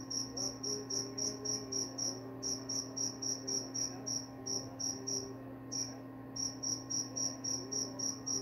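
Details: Crisp high-pitched cricket chirps repeat rapidly, about three to four each second, pausing briefly twice before resuming. A low constant hum sits in the background.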